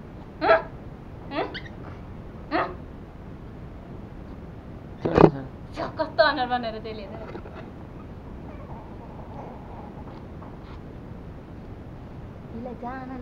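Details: Two toy Pomeranians in Kathmandu, Nepal, a male and a female born in 2017, give sharp, high yaps and a whiny, wavering cry, protesting angrily at being groomed.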